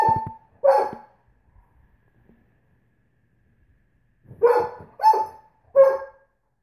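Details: Female Great Pyrenees that dislikes nail polish voicing short, sustained, tonal howl-like notes: two quick cries, a pause of about three seconds, then three more drawn-out wavering calls in close succession, with a quiet background.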